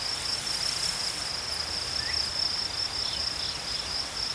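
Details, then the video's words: Crickets chirping in nature: a continuous shrill, high trill running steadily through, with a faint brief rising note and soft ambient hiss behind. "Crickets chirping sounds"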